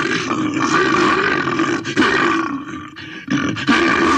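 A bear roars in a long, harsh, rumbling bellow broken by brief pauses.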